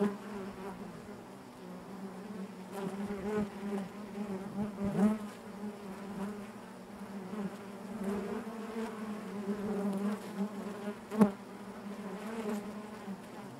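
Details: Steady low drone of honey bees in the hive, a warm humming buzz with faint harmonics, fairly even in volume with one brief louder spike.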